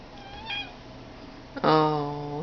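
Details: Blue Boy, a pet cat, making his weird sound indoors: a faint high note, then a loud, strained, harmonic-rich low call held for nearly a second before trailing off.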